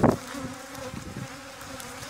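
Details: Bees humming during venom collection in Thessaloniki, Greece, 13 October 2017; a sharp knock opens, followed by a soft, steady low drone with small fluctuating swells.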